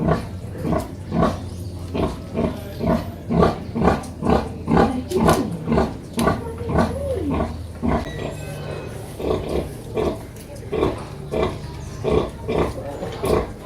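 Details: Mother pig and her piglets making loud varied sounds: rapid overlapping grunts about twice a second, with a wavering higher squeal midway and a constant low hum underneath.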